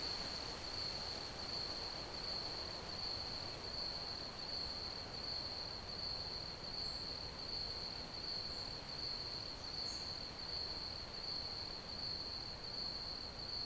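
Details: Crickets chirping as ambient sound for sleep: a steady, high, rapidly pulsed trill held without a break throughout, over a constant broad hiss, with a few faint higher chirps.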